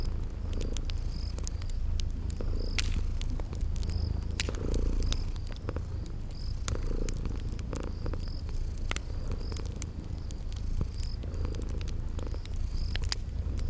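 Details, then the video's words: Sleeping kitties purring in a cozy spring garden setting beside a crackling fireplace; a steady low rumbling purr fills the background, with sharp fire crackles and pops scattered throughout and a faint high chirping repeating overhead. "Relax with Cute Sleeping Purring Kitties by a Crackling Fireplace"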